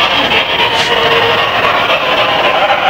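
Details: A sugar glider, possibly a Carmino morph, crabs, giving a harsh, buzzing, static-like rasp that signals it feels disturbed or threatened.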